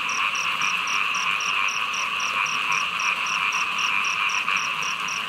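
A dense frog chorus of steady, buzzing trills during heavy rain, with a rapid high ticking throughout.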